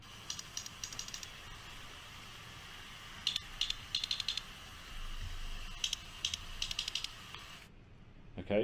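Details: A sperm whale coda of the type that dominates Caribbean repertoires: sharp clicks in short, repeated groups in a one-plus-one-plus-three pattern, over a steady hiss.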